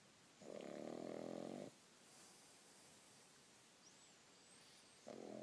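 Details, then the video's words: Young pug, six months old, sleeping beneath the duvet: one drawn-out buzzy snore, a quiet gap of about three seconds, then the next snore beginning. "Snoring Pug In Bed"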